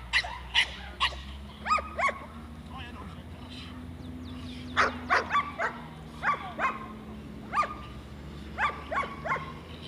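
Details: A 7-month-old Staffordshire bull terrier barks loudly and sharply during defence training, in single barks or quick pairs and triplets, over a low steady hum and faint voices.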